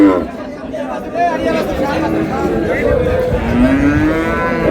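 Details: Improved-breed dairy cows and calves at Ambari haat, Dinajpur, Bangladesh, 17/4/26: busy market talk first, then a rising, drawn-out moo near the end, with crowd chatter throughout.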